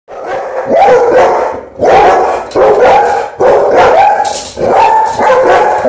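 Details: Dogs protecting the house bark loudly in drawn-out, ringing bursts, one roughly every second or so.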